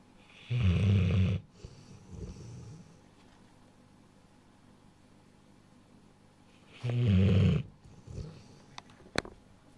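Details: Deep, throaty snoring from a sleeping young Rottweiler just over a year old: two loud, low, rough snore bursts about six seconds apart, with soft breathing in the quiet gap.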